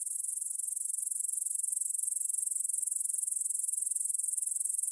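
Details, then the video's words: Grasshoppers stridulating in a meadow near the Svensky monastery field in Bryansk, Russia, at 9pm on September 6, 2020, captured on a Tascam DR-44WL; a dense, steady high-pitched shimmering trill pulsing rapidly and evenly throughout. "кузнечики на лугу – Grasshopper Sounds in the Field"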